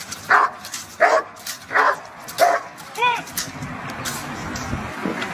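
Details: Belgian Malinois during protection work: four loud, sharp barks spaced under a second apart, followed by a short rising-falling whine, then fainter noises and background rumble.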